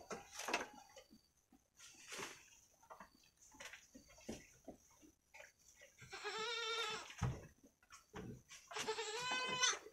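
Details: Week-old female goat kids, Jawa Randu crossbreds, playing together in their pen. Two high, quavering bleats come near the end, each about a second long. Earlier there are scattered rustles, thumps and clicks.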